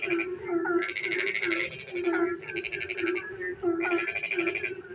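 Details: Rainy night chorus of frogs near a village: long bursts of rapid rattling trills alternate with pauses, carried over an unbroken low croaking hum, plus a few short downward chirps.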